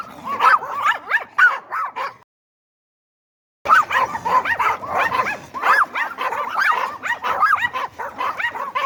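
A small Yorkshire Terrier yaps in rapid, high-pitched barks, with whiny yips mixed in.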